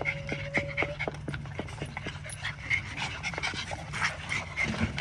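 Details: Little dog panting during playtime, fast breathy puffs about four each second over a steady low hum, with a few faint clicks mixed in.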